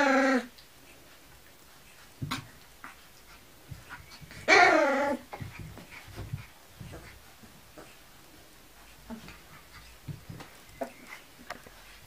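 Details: Kuvasz puppies 19 days old, indoors: a short squealing whine at the start, another louder wavering whine near the middle, and scattered faint clicks, snuffles and small movement noises.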